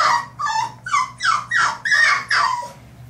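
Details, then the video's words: Carmela, a three-month-old French Bulldog puppy, battling the bath tub in a small room; a fast run of seven whiny, falling yips, about two per second, each sliding downward, over a low background hum. "Carmela vs. the Bath Tub (French Bulldog)"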